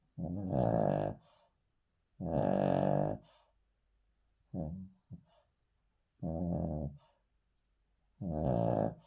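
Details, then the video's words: A sleeping male Cavalier King Charles Spaniel lying on the floor snores in rough, droning breaths about every two seconds, with one shorter, clipped snort in the middle of the run. "Cavalier King Charles Spaniel Snoring"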